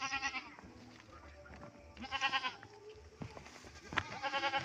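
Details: Pet goats bleat as their owner brings them fodder, quavering harmonic bleats in three short bursts about two seconds apart, over a steady low hum and scattered knocks.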